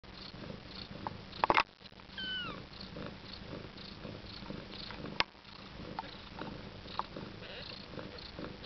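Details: Siberian mother cat with her first litter of nine-day-old kittens, indoors: a steady low purring rumble throughout, a sharp click near the start, and a brief high rising-then-falling mew in the middle.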